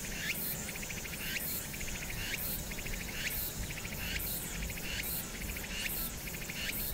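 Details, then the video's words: Cicadas on Hwangnyeongsan in summer, recorded 1 August 2019 with city noise behind. Short buzzy trills, each ending in an upward sweep, repeat roughly every 0.6 seconds against a low urban drone. "황령산(Hwangnyeongsan)의 여름 매미소리"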